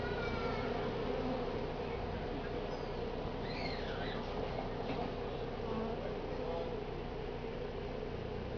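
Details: A dense, steady hum of many Western honey bees (Apis mellifera) buzzing from a colony found near a daycare in Altadena, the day after Independence Day, being cut out, with faint high chirps in the background.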